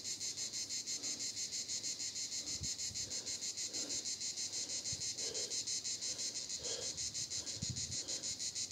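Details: Cicadas at Vidauban in 2024 fill the air with a loud, hissing buzz that pulses about three times a second.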